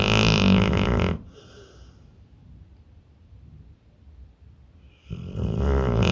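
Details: Pit bull in deep sleep, snoring: a loud, raspy, low drone for about a second, a long quiet pause for the in-between breath, then the rumbling snore returns near the end.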